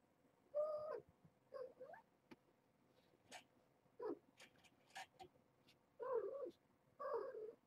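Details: Young mother cat, a former stray, rousing her week-old litter one morning and coaxing them toward a door; a series of short chirping meows roughly once a second, with faint clicks and rustles between calls.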